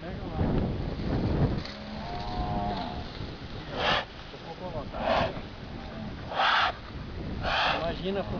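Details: A heifer about a year and a half old, tangled in a tree after going to scratch herself, lets out drawn-out low moos with layered overtones, mixed with men's voices talking as they work out how to tie and free her.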